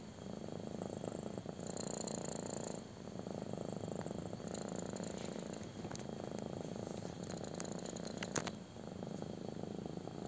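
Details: Kitten loving a belly rub gives a steady, intense purr, a close buzzing rumble that pauses briefly for breaths, with a few faint clicks and a small knock near the end.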